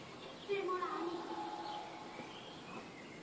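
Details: Newborn kittens meowing: a high, thin cry with curving, slightly rising and falling tones lasting under a second, followed by quieter faint calls against a soft background hiss.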